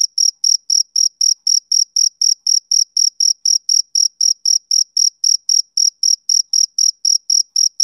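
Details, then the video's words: A male cricket sings through a summer evening, giving a long regular series of brief piercing chirps, close to four a second, with no other sound present. "Cricket Chirping Sound Effect"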